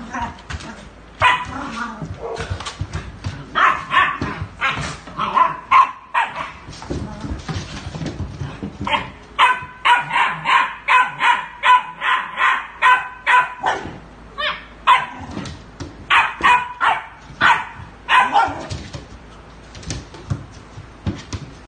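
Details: A sustained bout of rapid dog barking, quick loud barks tumbling out in irregular runs, with a brief pause about a third of the way through before the barking resumes just as fast.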